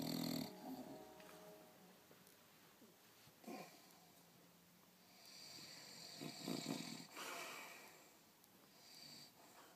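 An English Bulldog snores loudly, each breath a coarse, wheezy rattle with snorting edges. The bursts come unevenly, some drawn out and some short, over a quiet background.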